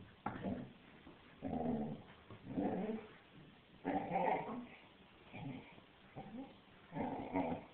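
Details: Rocket, a six-month-old female black Labrador Retriever puppy, playing with a toy and making noises: short, throaty growly grunts and whiny mutters in bursts about a second apart, about seven bursts.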